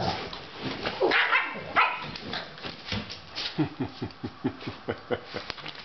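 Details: Two Doberman dogs indoors, fighting as one tries to take over the other's bed; rough, low growling in short pulses about every third of a second during the second half, after noisy scuffling and a higher whine.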